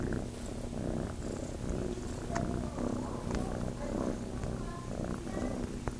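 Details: Chase, a kitten living at Starlight Farm, purrs while looking to nurse: a steady, low, rumbling throb with soft rustling and faint clicks over it.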